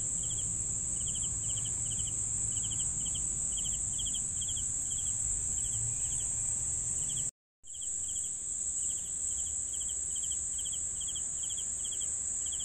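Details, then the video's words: Crickets chirping for sleep: a steady high shrill trill runs throughout, with short pulsed chirps repeated about every half second beneath it, a brief full silence near the middle, and faint low rumble early on. "CRICKETS SOUNDS"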